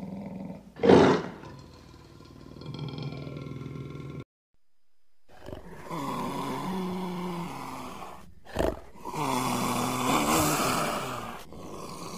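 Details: Lion sounds in spliced pieces: a sharp loud cough-like burst, a droning moan, a pause, then long grating roars with a strong low tone and a short percussive thump.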